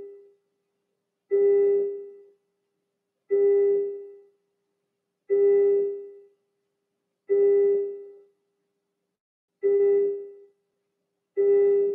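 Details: A single piano-like note sounds again and again, about every two seconds, with silence in between; there is no animal sound.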